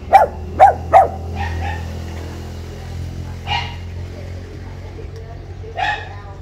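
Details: Pug barking while kept caged at the front door of a house it is not yet used to, being teased by a visitor; three sharp barks in the first second, then softer scattered barks, over a steady low hum.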